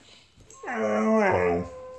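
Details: Blue Bay Shepherd, a female dog, vocalizing indoors in a small room: one loud, harmonic-rich whine lasting about a second, starting with a sharp rise then holding a steady, slightly falling pitch before fading.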